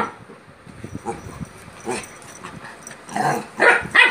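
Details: Labrador puppy acting aggressively toward a German Spitz; short sharp barks and yelps cluster in the last second, after quieter growly scuffling sounds.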